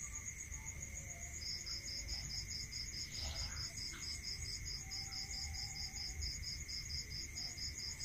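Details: Countryside crickets at night start a rapid run of high regular chirps after a short quiet spell, backed by steady high ringing, a lower continuous drone and a few soft faint noises.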